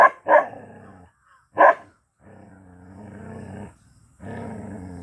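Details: A black Bhotiya dog gives three sharp, harsh barks, then a long, rumbling growl.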